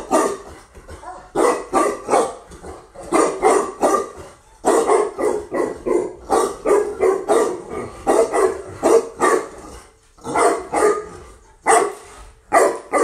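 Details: Tibetan Mastiff female brought in from Russia barks almost continuously, loud repeated barks in uneven volleys with only momentary gaps.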